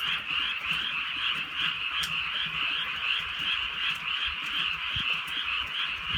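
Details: Massed frog croaking in the countryside at night during gentle rain: rapid pulsed calls layered into a constant shimmering trill, one sharp click near the two-second mark, and light rain dripping underneath.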